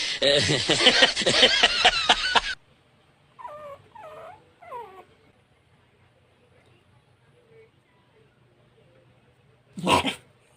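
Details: Puppies whimpering: three short, wavering, downward-bending whines in quick succession, preceded by loud human laughter and voices, with a sharp thump near the end.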